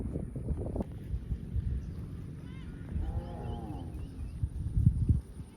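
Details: Farm cattle out in the fields, running and jumping: a single drawn-out moo with a falling, layered tone around the third second, set over low thudding and rumbling from movement on the ground.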